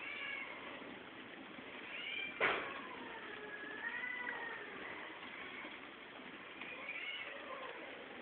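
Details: Several cats mating as a group at Geraki, Crete: a series of faint, wavering meows bending up and down, with one sharp thump partway through and a steady background hiss.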